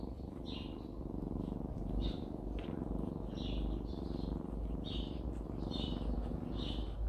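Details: Happy purring from Jisuni, a mother cat in the countryside: a continuous deep, throbbing rumble. Bright bird chirps are repeated roughly every second in the background.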